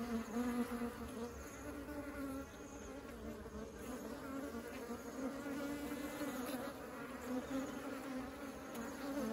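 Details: Dense buzzing of many honeybees taking honey into the hive, a constant droning hum with harmonic layers, slightly louder at the start, with small surges of passing bees throughout.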